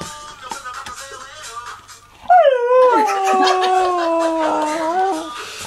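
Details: Husky puppy named Mika singing along to the song "Everybody Say Wayo". Quiet music and short yips open, then a loud, long howl starts high, slides down and holds a wavering tone for about three seconds over the music.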